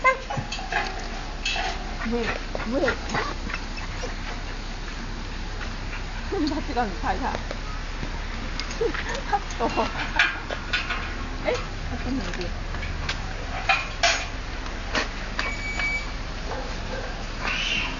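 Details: Dog named Wilbur, excited as another dog walks past, 30 October 2008; scattered squeaky whimpers and brief yelping cries come in uneven bursts through a constant low background hum, with people talking now and then.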